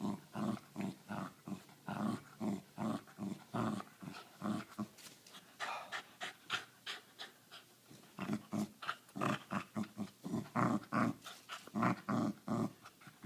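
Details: Australian Cattle Dog refusing to give up its ball; rapid rhythmic panting and breathy growling grunts, about three per second, steady throughout with brief quieter stretches.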